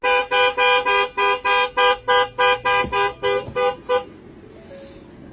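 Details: A car horn honks in about a dozen rapid, evenly spaced toots for four seconds, then fades to quiet street background.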